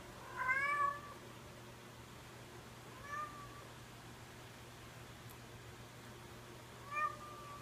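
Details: A lynx point Siamese cat gives a loud, drawn-out meow, then two shorter, softer meows a few seconds apart.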